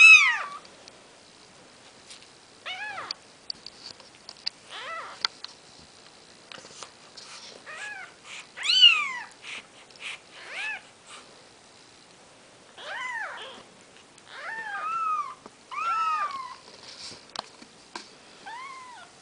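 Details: Maine Coon kittens, four days old and from a litter of seven, give thin, high mews that rise and fall in quick arched notes.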